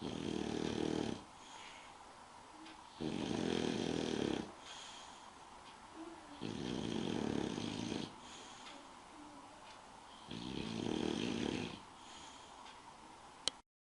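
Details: Spike, an English bulldog, snoring while asleep: four loud, rasping breaths about every three seconds, each lasting over a second, with quieter wheezy exhales between them.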